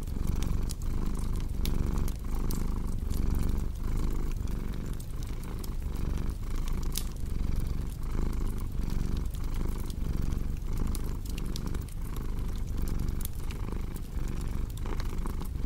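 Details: Cat's low, continuous purr set against a cozy crackling fire for deep sleep; deep rumble pulsing in regular breath cycles under frequent snapping crackles throughout.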